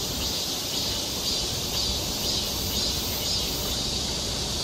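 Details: Cicadas singing along a forest trail in Seoul, Korea, in summer: a steady high hissing drone with soft pulses about twice a second, under broad rushing background noise.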